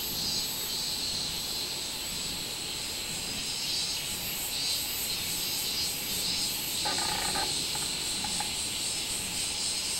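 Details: Robust cicada (minminzemi) singing on 24 July 2016: a continuous shrill, high-pitched buzzing chorus with slow rhythmic swells in intensity throughout, plus a brief lower tonal sound around seven seconds.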